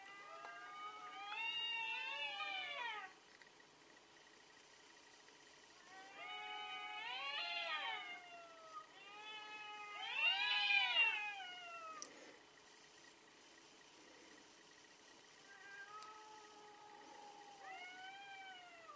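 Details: Fighting cats trade loud drawn-out caterwauls, three long wavering yowls rising and falling in pitch over the first eleven seconds, then softer moaning wails toward the end.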